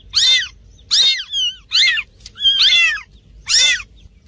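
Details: Kittens meowing: a rapid series of short, high, squeaky mews roughly every half second, some thin higher cries overlapping, suggesting several small callers.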